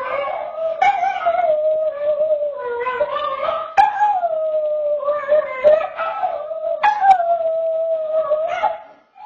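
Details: Zoe the dog howls on a home security camera: long, continuous wavering howls that dip and rise, with occasional abrupt breaks and pitch jumps at the start of new phrases, clean with no other sounds.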